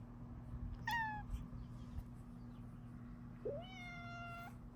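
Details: A Bengal cat gives two clear meows indoors in the morning, one short and falling, the next rising then held, as Luna is greeted, in a happy, affectionate moment.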